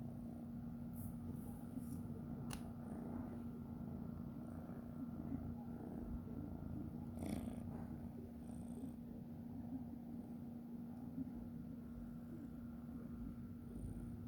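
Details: Golden domestic cat that has unexpectedly come back to visit its owner, purring indoors: a continuous low, fluttering rumble under a steady electrical hum, broken by a few faint clicks and rustles.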